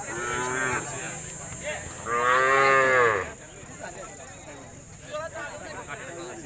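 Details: Khillar cattle at a cattle show; one long harmonic moo rising then falling over about a second, with a shorter low moo before it, over a steady high electronic whine and crowd sounds.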